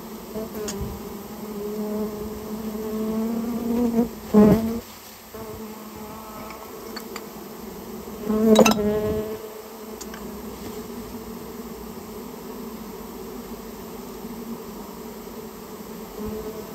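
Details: Buzzing of a Japanese honey bee colony during removal from a nest built inside a storehouse; continuous low hum punctuated by two loud knocking thuds, the drone fading slightly after each.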